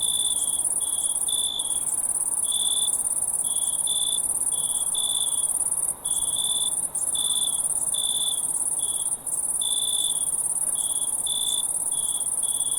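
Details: Several crickets chirp at night, their short, sharp notes overlapping and alternating at an irregular, busy rhythm above a persistent high-pitched trilling chorus.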